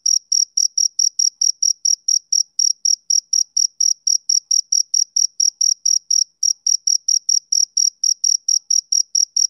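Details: Male cricket chirping on a summer evening: a high, pure-toned pulse repeated steadily about four times a second for the whole stretch, with no other sounds behind it.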